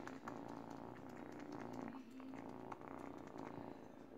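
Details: Eight-week-old female kitten named Kitty purring indoors while teething on a baby blanket; a steady, low, rapidly pulsing rumble runs throughout with no break, with faint rustling from the chewed fabric.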